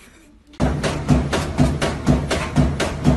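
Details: A brief quiet moment gives way to loud rhythmic percussion music with a thumping beat about twice per second, and no animal calls can be heard.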